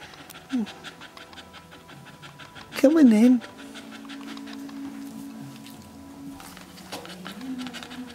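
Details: A red first-time Staffordshire Bull Terrier named Rosie, labouring in her whelping pen, breathes in quick, steady pants. A brief high whine or voice rises near the three-second mark, with soft music and talk underneath.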